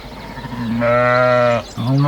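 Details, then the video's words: A low, droning sheep bleat, deep and steady for over a second, then cut short and followed immediately by the start of another low call. "SHEEP SOUNDS"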